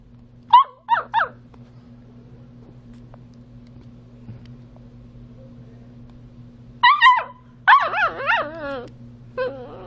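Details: A male Beagle puppy, one and a half months old, gives a few short, squeaky yelps, then breaks into his first wavering, high-pitched baby howls.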